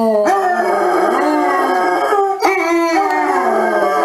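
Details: Howling basset hound giving a continuous, mournful, wavering tone that dips slightly and rises, with a few sharp clicks and bumps in the background.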